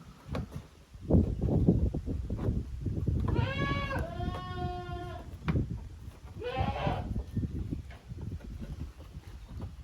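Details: Goat kids of two teams playing together in a farm's exercise yard, Japan, June 2023; two bleats, the first long and wavering, the second short, over heavy low rumbling and scuffling.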